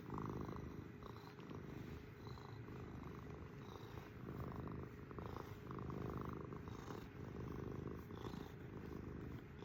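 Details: Pet cat purring steadily at close range, a deep rumbling vibration swelling and easing with each breath, with soft faint whistly breath sounds over the top.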